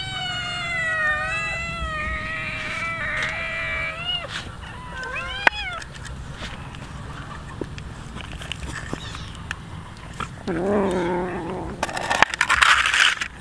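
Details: Hungry street cats and kittens at feeding time eating raw fish: several wavering, drawn-out meows in the first seconds, quick rising-falling mews, then a lower throaty meow, with clatter and chewing noises around them.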